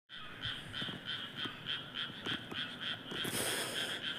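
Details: Frogs chorusing in a rice paddy in Japan, a different paddy from an earlier recording: dense, rapid pulsed croaks repeated about three times a second, with a brief hissing burst near the end.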